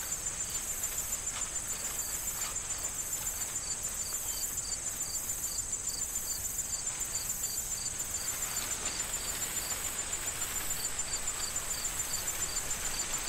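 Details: An autumn corn field awaiting harvest holds crickets giving regular high chirps, roughly two or three per second, over a constant shrill insect drone. Rustling corn stalks and gusts of wind add a soft, continuous hiss.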